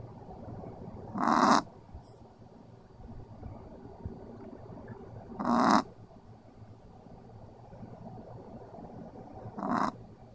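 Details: Sleeping dog named Pixel snoring in a slow, steady rhythm. Three short, raspy, breathy snores come about every four to five seconds, with soft quiet breathing between them and a low steady room hum underneath.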